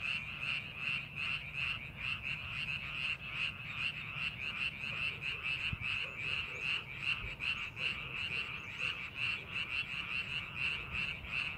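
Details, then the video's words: Frogs calling in a rice paddy being prepared for farming: a dense chorus of rapid, rhythmic croaks, about two and a half pulses per second, with a steady high trilling band above and a low rural rumble beneath. "농사준비하는 논에서 개구리 울음소리"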